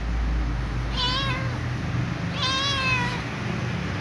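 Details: Little ginger cat asking for dry food gives two drawn-out, slightly wavering meows about a second and a half apart, over a deep steady hum.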